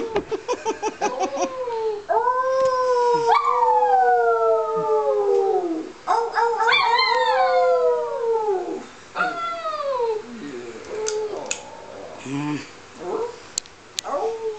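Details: A female dog howls with her owner, opening with quick rapid yips, then long descending howls, trailing off into shorter, lower wavering cries and a few soft yelps near the end.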